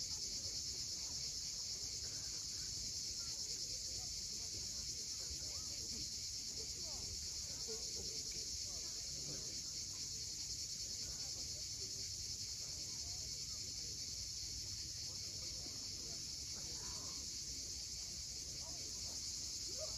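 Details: Cicadas calling at sunset on the steep coast of Cape Fiolent, Crimea: a dense, unbroken high-pitched buzzing drone holds steady throughout, with a soft wash of waves underneath.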